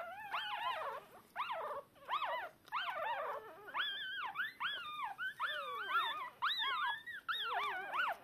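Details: Newborn Shiba Inu pups, deaf and blind, crying for their mother a few hours after birth; persistent overlapping high squeals and whines, each arching up then down, almost without pause.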